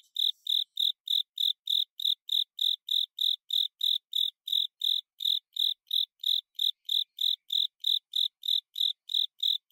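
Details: Japanese burrowing cricket (Velarifictorus micado) song, the call described as "kata sase, suso sase". A long, even series of sharp high chirps repeats roughly three times a second without a break. No other sounds are heard.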